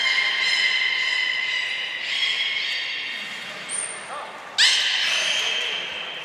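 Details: Belugas Mirai and Nico in training at Port of Nagoya Public Aquarium, recorded 20 February 2021, give loud sustained harmonic calls, then a thin high whistle, then a sudden sharp rising squeal that holds steady to the end, in a reverberant hall.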